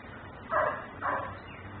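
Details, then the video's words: Yard dog in Mecklenburg, left outdoors and barking, recorded by a camera: two loud, rough barks about half a second apart over a low steady hum. "Barking dog"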